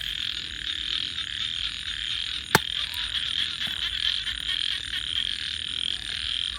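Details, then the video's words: Night-time frog chorus, a continuous shrill trilling mass with gentle pulsing swells, broken once by a single sharp crack partway through. "and frogs 🐸 Sounds"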